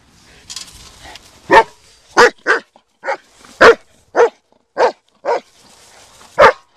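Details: Black German Shepherd dog barking: a series of sharp, loud barks, about nine in under seven seconds, spaced irregularly with short pauses, little background noise.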